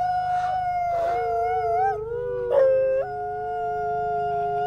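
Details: Captive-born Canadian/Rocky Mountain gray wolves, a brother and sister at a conservation center in South Salem, New York, howling in duet; two long, smooth overlapping tones, one sliding and wavering while the other holds steady and lower.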